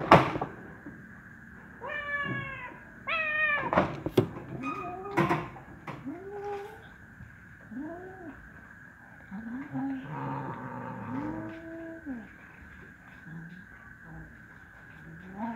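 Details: Hungry kitten, wary of eating beside a black male cat: loud rising-falling meows early on, then softer arched mews and low calls repeating every second or two, with a steady hum and faint clatter.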